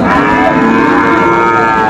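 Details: Sahiwal bull at the Ranigonj cattle market in Bogura, Bangladesh, on Monday, 6 January 2025: a loud, steady, harmonic-rich lowing held for two seconds against market bustle.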